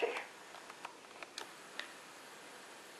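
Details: A quiet indoor room holds a brief murmur at the start, then scattered soft ticks and clicks over a faint hiss.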